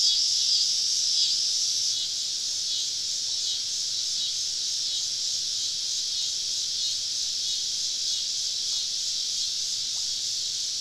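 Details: Cicadas calling all around a woodland campsite on a southern summer evening: a dense, unbroken high buzzing drone, slightly louder in the first seconds and then holding steady, with no other clear sounds.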